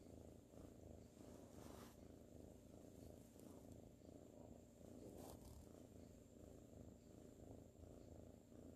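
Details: Sir Salmon, a ginger tabby kitten, purrs while sleepy and cuddled in 2019: a long, unbroken low rumble with soft rhythmic throbbing, interrupted by a couple of brief faint rustles.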